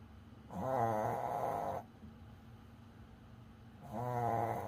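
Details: Coco, a pet Pomeranian dog, tired and asleep indoors, snoring: two long rasping breaths about a second each with a rough buzzing tone, separated by a quiet pause.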